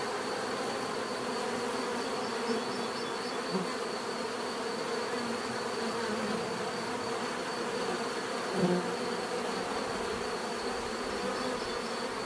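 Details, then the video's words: Bees buzzing in a steady collective hum, overlapping droning tones with a faint high whine, and a few short louder buzzes as single insects fly near. "bees therapy relaxing natural buzzing sound"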